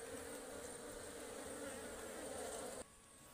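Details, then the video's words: Swarm of aggressive wild Ligwan honeybees around a forest hive during honey harvesting. A dense, continuous buzzing drone holds steady, then cuts off abruptly near the end. "Ligwan Beehive Harvesting in the Forest"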